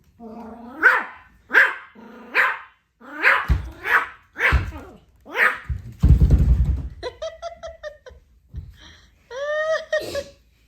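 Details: A Pomeranian puppy, trying to roar, gives a run of small, strained growl-barks that rise and fall in pitch.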